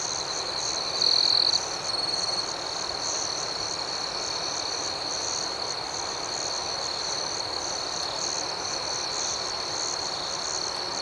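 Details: Crickets chirping at night, a dense steady high-pitched chorus with a louder nearby caller giving short trilled chirps near the start; a second, higher shimmering band of insects pulses throughout.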